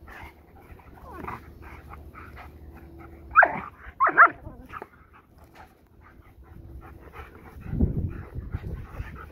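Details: Two dogs at play, Kai, a Belgian Malinois, and Koogo, a goldendoodle, playing buddies: soft whines early on, then two sharp yelping barks near the middle, followed by a low rumbling growl and faint scuffling toward the end.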